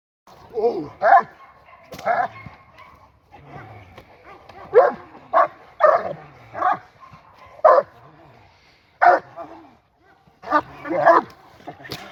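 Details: Seven-month-old working Presa Canario puppy during its first ever protection work (Schutzdienst) training session, barking in short bursts roughly every second, with a handler's voice in between.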